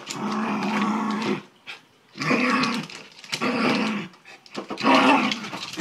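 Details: Playful Miniature Schnauzer going after a basketball: three long, steady, rasping growls, each lasting over a second, separated by brief pauses, all close and loud.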